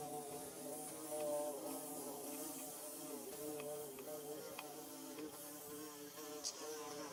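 A bee buzzes steadily, its droning hum wavering in pitch, with occasional sharp clicks.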